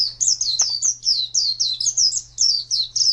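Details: Champion singing white-eye, a popular pet and contest bird, giving a lively chain of high warbled chirps in tight clusters, with a faint low hum underneath.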